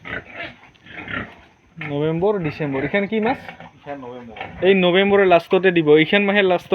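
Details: Pigs of Yorkshire and Hampshire breeds at an Assam pig farm squeal loudly. The calls are wavering, rising-and-falling cries that come in quick overlapping bursts. Rustling and faint voices are heard beneath them.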